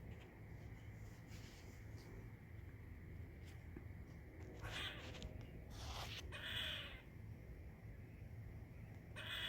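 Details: Loud squirrel chirping: a run of harsh, scratchy calls in the second half, several short rasps then a longer buzzy call with falling overtones, over steady low background rumble.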